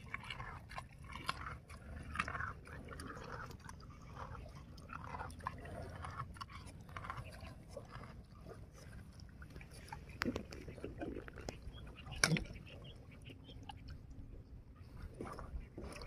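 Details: Swamp buffalo, the Southeast Asian water buffalo Bubalus bubalis carabanensis, feeding; its chewing comes through as crisp, irregular crunching and clicking bites over a steady low rumbling background, with a louder snap near the end.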